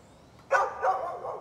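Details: Barking from a neighbour's dog, recorded 11-13-2020: one loud, abrupt bark, then a second, softer bark that trails into a drawn-out ringing tail, against low background hiss.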